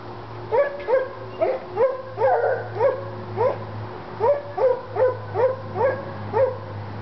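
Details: Two Treeing Walker Coonhounds, Lady and Cooper, being excited with a coon skin in North Carolina, give a steady run of clipped, ringing chop barks, about two per second, with a low hum underneath.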